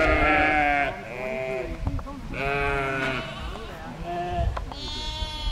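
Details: Lambs rejected by their mother and now fed by a farm sheepdog that still has puppies; wavering, harmonic bleats in several bursts, each about a second long, with some overlapping voices and low background rumble.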